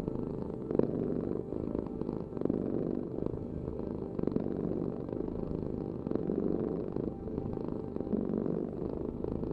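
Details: Continuous deep purr of a cat, a grainy vibrating rumble with soft, regular rises and dips in loudness and nothing else clearly heard.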